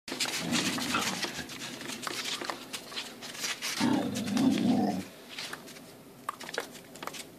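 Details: Two Border Collies playing in the snow: a rough, sustained growling vocalisation of about a second near the middle, preceded by shorter growly sounds, with scuffling, rustling and thumps of play.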